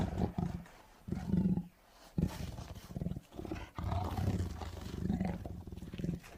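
A tiger roars in a series of deep, rasping bursts, each swelling and fading within a second or two. The sound sits low and throaty, with a gravelly, growling texture between the louder pulses.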